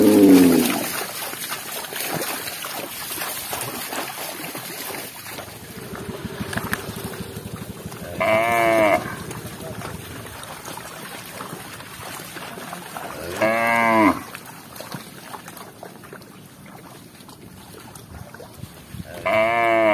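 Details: Three short moos, spaced about five seconds apart, come from tame village cattle roaming fields and drinking at a village lake in Indonesia. Steady rustling noise and a brief rumble sound between calls.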